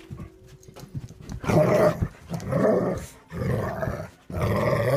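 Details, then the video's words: Deep, throaty growling from dogs at play comes in three or four long rumbling bursts, each roughly a second long, with brief pauses between them indoors. "The dogs at play"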